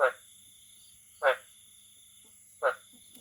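A frog gives short, harsh croaks, each a brief burst repeated roughly every one and a half seconds.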